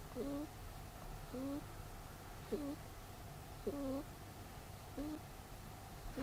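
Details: Pet rabbit Peter snoring in sleep, six squeaky whistled breaths at a regular pace of about one per second, each a short low tone with a higher overtone, over soft constant background hum.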